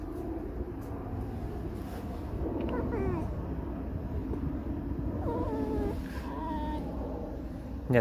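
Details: Alice, a pet fox, creaks and sings a mournful song. Two bursts of wavering, harmonic whines, rising then falling, are heard about two seconds apart, over low rumbling background noise, with a woman talking around them.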